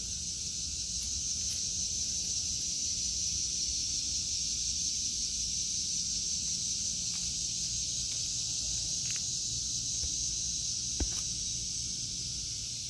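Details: An unbroken, shrill cicada drone fills an August 2023 vegetable garden, steady in pitch and loudness for the whole stretch, broken only by occasional soft knocks and a single sharp click.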